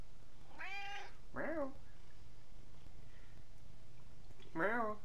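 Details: Free-roaming male cat that visits a house every few hours for food and affection and meows back when spoken to. Three meows: a high drawn-out one, then a short lower one, and after a pause a rising-falling one, over quiet room hum.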